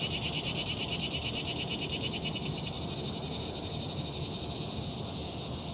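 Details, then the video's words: Cicada, called chicharra, singing a loud, high, shrill buzzing drone with a fast pulsing texture. The sound holds steady throughout and fades slightly toward the end, with no other clear sounds. "El canto de la chicharra"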